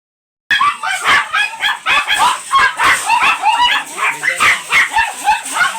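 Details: Dark chocolate-liver Shih Tzu at a kennel house in Manaoag, Pangasinan, during stud service; rapid high yips and barks overlap almost nonstop, several voices seemingly at once, in a fast, uneven stream.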